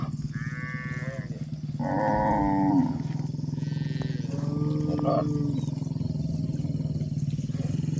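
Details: Village cows during a day of grazing; two or three harmonic moos early on, then quieter lowing, all over a steady, throbbing low engine-like drone.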